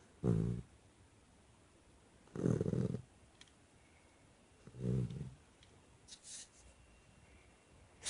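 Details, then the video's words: Nestle, a chocolate Labrador Retriever, snoring while asleep indoors: three low, rumbling snores spaced about two seconds apart, each a short harsh buzz, followed by quieter shuffling noises. "Chocolate lab snoring"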